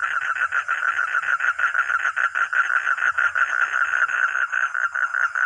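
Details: Rhythmic, rapid pulsing croaks from a frog or toad, a steady rattle of short beats repeated without break at an even pitch.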